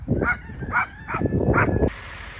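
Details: A dog kept alongside chickens and a rooster gives four short, gruff woofs about half a second apart, followed by a steady hiss.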